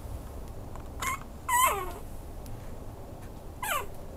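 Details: Maltese-Chihuahua mix dog giving three short high whines, the middle one longest and sliding downward, with quiet gaps between them in a still room.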